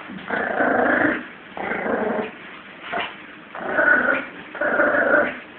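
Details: Playful growling from Lulu, a 17-week-old female Yorkshire Terrier puppy tugging against a Jack Russell; four raspy growl bursts of about a second each, roughly one per second, separated by short breaths.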